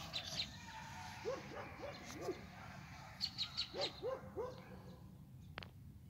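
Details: At 5:45 am, a pack of about 15–20 coyotes calls alongside a German Shepherd in two quick runs of short, rising-and-falling yips, each burst four or five notes long. Faint, thin bird notes sound over a low rumble.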